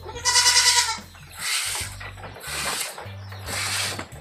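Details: At milking time on a goat farm, an Anglo-Nubian goat lets out a strong, tremulous bleat lasting nearly a second, then three broad hissing bursts follow over a low steady hum.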